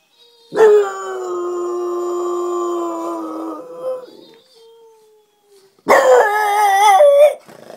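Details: French Bulldog howling like a wolf: a long steady tone held about three seconds, a short fading tail, then after a pause a second wavering, louder howl with rising and falling bends.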